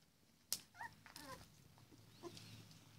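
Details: Labrador Retriever puppies during morning cuddles. A sharp click comes first, then a few brief, high whimpers with short bent tones, and a softer whine trails off. A low steady rumble runs underneath.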